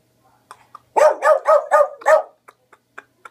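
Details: Boglen Terrier named Dixie, a Beagle–Boston Terrier mix, lets out a rapid run of five sharp barks in about one second, followed by faint clicks and taps.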